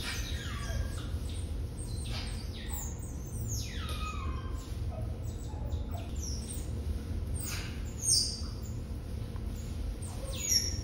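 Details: Litter of six Asian small-clawed otter pups at Brookfield Zoo, born November 18, 2021, raised behind the scenes by Pearl and Adhi; busy stream of high falling squeaks and chirps from multiple pups, constant low mechanical hum beneath.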